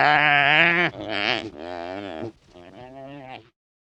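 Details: Wildebeest calling in the wild: a series of four nasal, buzzy grunts, each lasting under a second. They run back to back and grow quieter and rougher toward the end, over a quiet background.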